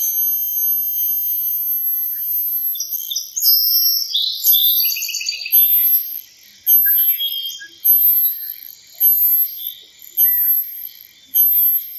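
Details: Cicada giving a steady high hiss, then a burst of chirpy, twittering notes, followed by regular rasping buzz pulses about once a second, each beginning sharply and fading.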